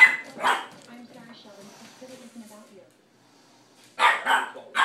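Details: A Boston Terrier puppy barks at a cat, sharp high yapping barks in short bursts, with a person talking in between.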